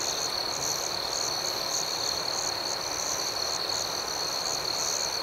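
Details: Steady high chorus of crickets at night, several layered trills pulsing rhythmically without pause, backed by a faint broad hiss.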